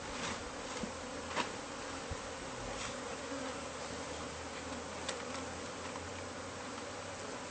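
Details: A colony of bees lodged within the walls of a newly bought home, being cleared out: a low, even, continuous hum with a few sharp knocks and clicks scattered through.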